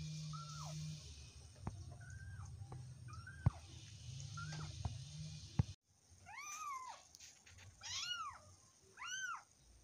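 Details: Domestic cat meowing, first with small thin high mews over a low hum and clicks, then after a brief gap louder arched meows with rich harmonics, about four calls in the last four seconds.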